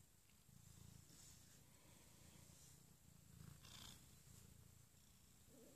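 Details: Abyssinian cat during morning snuggles with its owner, purring softly; a quiet, continuous low rumble that swells and fades in slow breathing cycles, with faint rustling above it.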